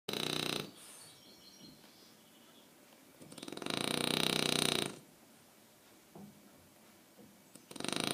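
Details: Aquiles, a French Bulldog, snoring: loud, rattling, breathy snores lasting about a second and a half, spaced a few seconds apart with quiet breathing in between.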